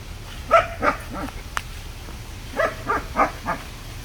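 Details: Playing with his sticks, the German Shepherd puppy Sangi lets out two runs of rapid, softer barks, four and then four again, with a sharp click between them.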